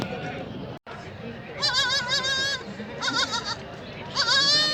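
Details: Young goats (kids) held at a market before being sold, bleating: several wavering, quavering high-pitched bleats in bursts near the middle and the end, over a murmuring market background with low crowd noise.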